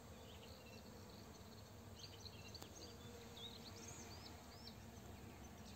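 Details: Honey bees working a rapeseed field, gathering nectar and pollen around 16:00 while a farmer sprays nearby; a low, steady droning hum fills the clip, with scattered thin bird chirps above and rural background noise.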